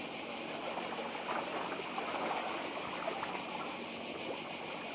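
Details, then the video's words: Cicadas singing on the island of Badija, Croatia: a shrill, steady buzzing wall of sound with quick pulsations, accompanied by quiet lapping of the sea. "Cykady i szum morza w Chorwacji"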